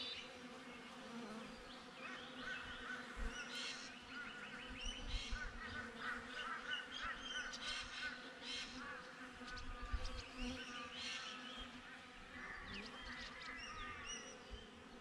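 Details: Continuous hum of honey bees beside their hive, captured with a GoPro. The buzzing drone holds steady, with bursts of low rumbling and many short high chirps overhead.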